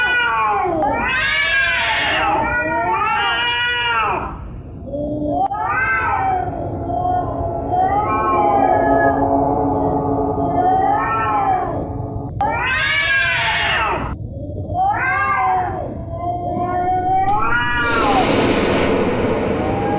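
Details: Scary cat sounds: a long sequence of yowls and moaning meows, some short and arched, others drawn out and steady, rising and falling in pitch, ending with a harsh hissing burst.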